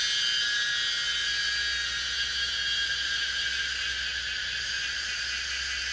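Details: Cicada Pomponia linearis recorded at Yanmingshan, giving a steady, intense, hissing high buzz without breaks, layered in several bright tones over a faint low hum.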